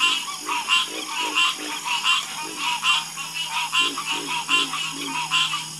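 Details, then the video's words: Frogs croak together in a busy chorus, short pulsed calls repeated over and over in loose waves, some lower throaty croaks mixed in, and a faint steady hum beneath. "Calming Sound Of Harmonious Frog Croaking"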